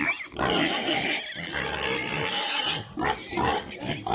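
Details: Many piglets squeal loudly and shrilly on a pig farm, apparently in Italy. Their piercing, sustained cries overlap almost without pause, with two brief dips in the din.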